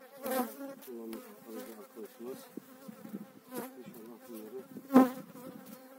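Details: Honey bees during a spring 2018 hive transfer, eight frames of bees being moved into a beekeeper's own hive: a steady, low wavering buzz of many bees in flight, with sharp knocks and clicks from handling frames.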